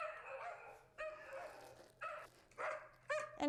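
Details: A poodle barks in a quick series of high, ringing yaps, played back from a recording to condition a puppy to stay calm and quiet when hearing other dogs bark.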